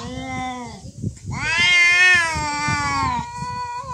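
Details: Domestic cats in a real fight, drawn-out harmonic yowls swelling to a loud wavering cry in the middle, then easing into a lower sustained moan, with scuffling noise underneath throughout.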